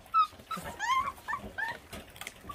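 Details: Whining and yipping from feral dog puppies feeding, abandoned by their mother after birth. The cries are high, wavering and repeated, with a loud opening yelp. Faint rustling and chewing sound underneath.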